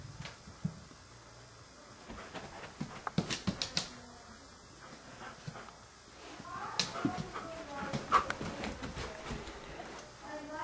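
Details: Sidney, a Standard Poodle, indoors and afraid to go into a bedroom with a slippery floor to fetch his beloved ball; soft whimpering and breathy panting come in bursts, mixed with taps, footsteps and a person urging him to fetch.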